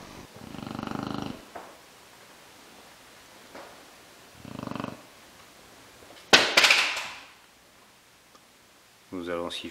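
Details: Sleeping Chow Chow dog snoring loudly: two rasping, buzzy snores about four seconds apart, then a sharp noisy burst and a short harmonic snort at the end; quiet room.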